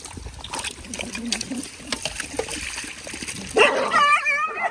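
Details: Dog fighting with friends: splashing and people talking, then a loud, high, wavering whine with stacked overtones rising and falling over the final second.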